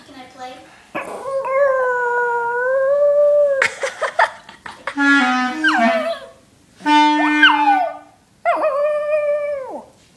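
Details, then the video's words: Pet dog Coco howling along to a clarinet: a long, smooth, sustained howl that wavers slightly, then short clarinet notes mixed with further rising and falling howls, ending in another drawn-out howl; brief human voices between. "Howling dog over Clarinet"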